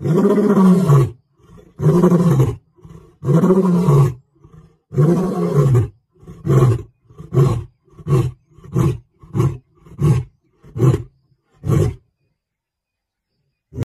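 A lion roars in deep, moaning bursts that shorten and quicken into a run of grunts.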